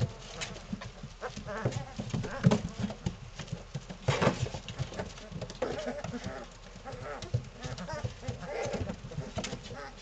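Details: Litter of three-week-old Malinois puppies wrestling in play, a growly bunch: continuous low grumbling growls with scattered louder grunts and constant scuffling noise from their movement.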